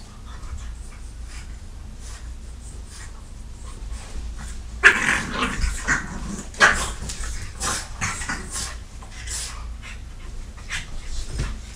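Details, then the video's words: French Bulldog attacking a Catahoula while the dogs Zoey, Oscar and Dorian are left home alone indoors; quiet scuffling, then sharp yelping bursts near the middle, followed by a run of short growly snorts and panting fading toward the end. "French Bulldog attacking Cattahoula"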